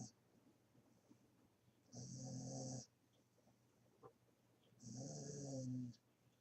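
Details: Sleeping puppy snoring indoors: two long, rasping, buzzy snores about three seconds apart, each lasting close to a second, with quiet breathing between them.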